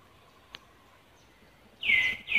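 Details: Monkey in Cambodia, filmed as Angela sees another monkey near Lucie: after a faint click, two loud, high, drawn-out cries slide downward and then level off, the second following closely after the first, over quiet outdoor background.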